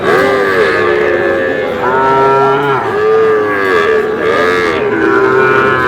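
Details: Sahiwal bulls and calves at a cattle market sale in Aftabganj market, Dinajpur, 11 July: several overlapping, drawn-out harmonic moos follow one another steadily, with a faint murmur of the crowd underneath.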